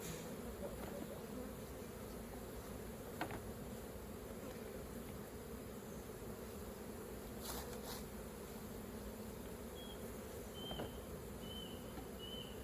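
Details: Steady deep buzzing of bees around a hive during raw honey collection, broken by a few sharp clicks, with short whistled bird notes near the end.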